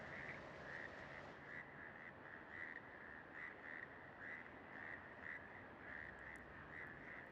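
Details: Frogs in Bogotá call early in the morning during breeding season in a steady chorus of short, bright notes about twice a second, males calling to attract females who choose among them.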